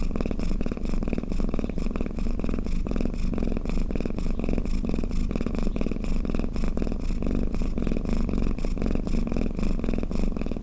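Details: Sleeping pet cat giving a lulling snore-like purr: dense low vibrating rumble with regular breath swells, unbroken for the whole stretch, no other sounds.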